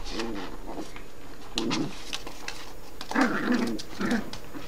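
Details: Yorkshire terrier mother and puppy in playful family drama, the mother appearing to reprimand the pup; three short bursts of low grumbling growls with a whiny edge, separated by brief pauses.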